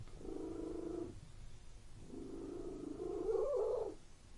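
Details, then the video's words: Indoor purring from a pet cat: a one-second rumbling bout, then a longer stretch after a pause that grows louder and slightly higher near the end, with a fast, even throb and little other sound. "Purring Cat in Room"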